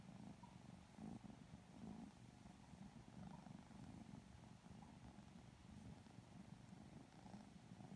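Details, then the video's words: Pair of Lilac Modern Lynx Balinese kittens receiving loving cuddles, purring sleepily; a deep, unbroken rumble with slight swells and quiet rustles of petting. "Kittens Getting Some Loving Cuddles [Sleepy Purring ASMR]"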